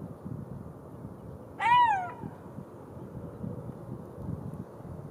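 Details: A single golden jackal howl: a brief wavering tone that climbs and then drops away in under half a second, followed by faint rustling and low rumbling noise.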